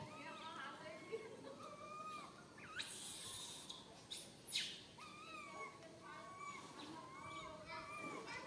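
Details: Tiny baby monkey Santos, stuck alone high in a tree, crying fearfully for its mother: repeated thin, arching whistled wails with harmonics, a few seconds apart, over broad hissing rustle bursts midway.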